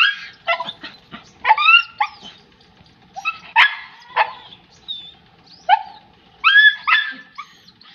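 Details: German Shepherd puppy barking in a quick, uneven string of high yaps and squeaky yips, roughly a dozen bursts over several seconds, some sliding upward like whines, against a quiet background.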